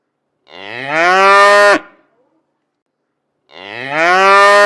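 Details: Tame cows relaxing in the countryside on a peaceful morning: a cow gives a long, rich moo, then begins another after a brief pause.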